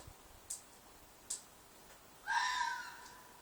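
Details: A fox in a field behind flats gives a single harsh, hoarse screech near the end, preceded by two short clicks in otherwise quiet surroundings.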